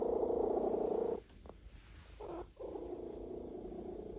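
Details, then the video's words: Domestic cat purring while being massaged, relaxed: a steady, low rumbling purr for about a second, then a short pause with soft rustling, then the purr resumes in pulsing bursts. "RELAXED CAT ASMR"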